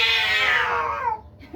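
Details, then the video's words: Cats in a fierce fight give a loud, harmonic-rich yowl that starts high and slides steadily downward over about a second, then fades into quiet room noise. "বিড়ালের ভয়ংকর ঝগড়া"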